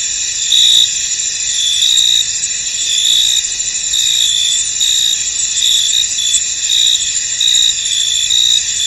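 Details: Foggy field at rest with a cricket chorus, a continuous shrill high buzz underneath short bright chirp bursts that repeat irregularly, about one each second, over the whole stretch.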